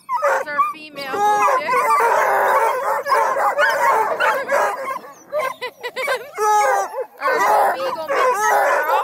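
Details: A pack of Bluetick, Redbone and Black and tan coonhounds near Kingston, Ontario, Canada, hunting hounds used on deer, moose, coyote, raccoons and wild cats, give a continuous chorus of bawling howls and bays, voices overlapping, with a few short yelps.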